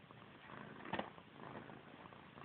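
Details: Missy Grey, a pet cat fixated on her own tail, gives a low, even purr with a faint rhythmic flutter, broken by one sharp click about a second in, while someone nearby tells her cats don't play with their tails.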